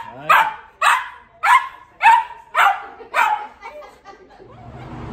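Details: Cavalier King Charles Spaniel in Southwest Florida being trained for barking and pulling on the leash; he used to bark, jump and go crazy when the door was answered. Six sharp, loud barks about half a second apart, then fading rustling.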